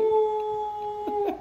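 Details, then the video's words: Dog howling together with its owner as she sings: a sustained pure-toned howl held level, with a couple of short breathy accents near the end and a faint music bed. "Singing and Howling with Pixie."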